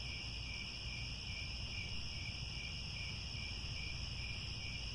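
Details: Grassland crickets calling at sunset near Angkor Wat in Cambodia, an unbroken high-pitched shimmering trill in layered bands with a fast-beating lower strand, set against steady low background rumble.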